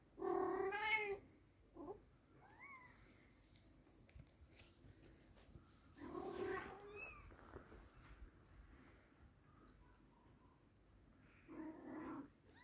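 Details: Mother and kitten British Shorthair cats: three loud, drawn-out meows spaced several seconds apart, with faint high, squeaky kitten mews in between, over a soft background hiss.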